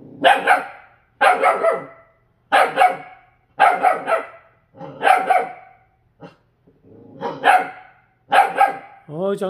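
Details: Purebred Jindo dog, rescued from a slaughterhouse, seeing its own reflection in a refrigerator for the first time: loud, sharp barks come in quick pairs and clusters roughly every second, with a person's voice briefly at the end.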